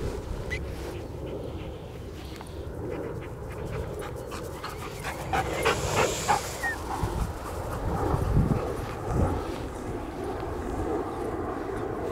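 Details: A German Shepherd, Chisu Vom Drachenwolf, a trained protection dog, outdoors on a Colorado day, breathing in rapid rhythmic pants with a brief whimpering note, over steady background noise and a few soft knocks.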